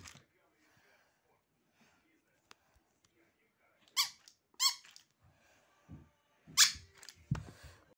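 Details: Husky squeaking indoors in a small room: three short, high, strained squeals with bright harmonics, two close together and one after a pause, with faint thumps in between.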